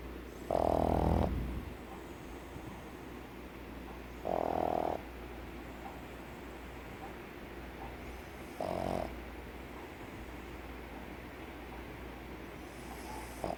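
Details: Sleeping pug snoring, the noise coming from vibration inside its short muzzle as it breathes. Three loud, rough, buzzy snores arrive about every four seconds, separated by quiet breathing and a constant low background hum.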